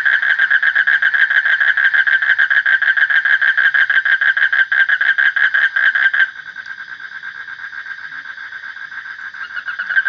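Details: Frog calling in a rapid, steady train of pulsed croaks with a harmonic, nasal ring. The loud calling drops abruptly about two-thirds through to a quieter, similar pulsing that continues to the end.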